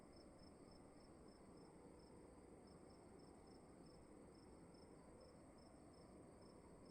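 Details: Cricket in a room giving a fast, regular sequence of short, high-pitched chirps, roughly three each second, against continuous low rumbling room noise and a faint constant whine.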